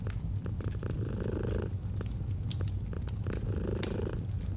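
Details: Domestic cat purring gently, paired with a fireplace in a cozy autumn setting; a steady low rumbling purr swells in breathing cycles while sharp crackles and pops of burning wood punctuate it.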